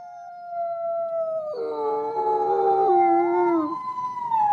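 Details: White (arctic) gray wolf (Canis lupus) holds a long, smooth howl, then other voices join in overlapping, wavering tones.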